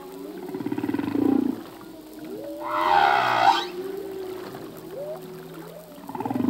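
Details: Humpback whale song from a male at sea: a throaty pulsed growl, then a bright buzzy roar near three seconds, followed by wavering moans and short swoops, ending in another pulsed growl.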